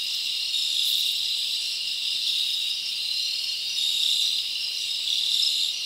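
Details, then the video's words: Many crickets chirp through a summer night in the forest, forming a continuous high-pitched shimmering drone with small rises in loudness and no birds or voices. "Live Crickets Natural Sound"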